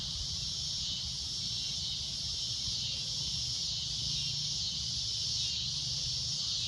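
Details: A loud shrill cicada drone at sunset, unbroken and high-pitched, pulsing gently in strength over a low constant rumble.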